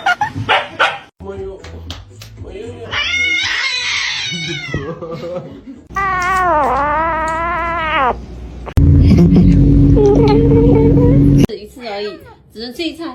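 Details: Pet cat uttering two drawn-out, quavering meows between cut-together household sounds, a steady low hum and short bursts of human voices.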